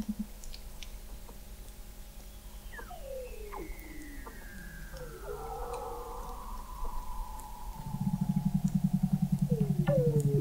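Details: Beneath Antarctic sea ice in McMurdo Sound, Weddell seals recorded November 2017 from 21 m below the ice: faint crossing downward glides, then a low, rapid pulsed trill rolling steadily through the final seconds.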